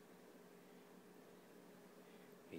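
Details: Domestic cat making snuggle sounds while snuggling indoors: a quiet, steady, buzzy low hum held for over two seconds, ending in a brief louder noise, with a person speaking softly to it just before and after.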